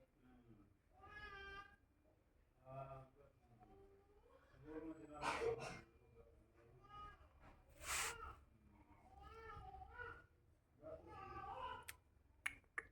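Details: A hungry baby kitten meows over and over, with drawn-out, harmonic cries repeated every couple of seconds. People talk close by, and a few sharp knocks and rustles break in.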